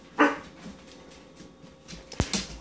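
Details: Year-old male English springer spaniel, scared of apple pears, lets out one short bark near the start, followed by quiet and then a couple of sharp knocking clicks.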